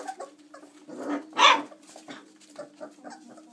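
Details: 26-day-old chocolate Labrador Retriever puppies squeak, whimper and make small yelps as they play together, running around and climbing out of the whelping box.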